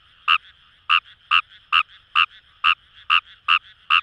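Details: Kawamura's rice frog (Fejervarya kawamurai) in paddy fields along the Kamo River, Itoshima, Fukuoka, Japan: short, harsh croaking notes repeated about two to three times a second, ten in all, over a steady distant frog chorus hum.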